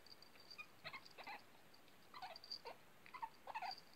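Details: An 8-week-old female Shih Tzu puppy gives soft, high whimpers in short broken bursts while playing.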